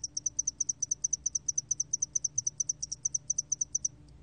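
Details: Spotted-wing hairy cricket, a 2020 recording by Korea's National Institute of Biological Resources, giving an unbroken train of very high, dry ticks, roughly seven to eight per second for four seconds, over a faint low background hum.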